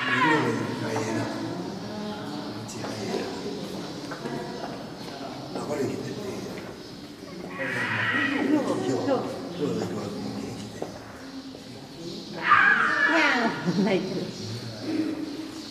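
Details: Snow leopard named Shijimu giving cute cries: two loud, wavering, harmonic calls, one near the middle and a stronger one later, set against people talking in the background.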